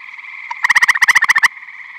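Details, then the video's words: Eastern gray tree frog at a Michigan vernal pond full of tree frogs in spring or summer, giving a close, loud pulsed trill of roughly a dozen notes, with a continuous chorus of distant frogs trilling behind. "Eastern Gray Tree Frog Vocalizing"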